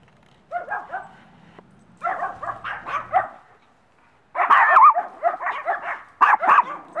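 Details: One-year-old Maltese named Missy, a sociable rescue dog awaiting adoption in Brooksville, Florida, gives clustered high-pitched yips and barks in irregular runs, with a quiet gap before a louder, denser volley.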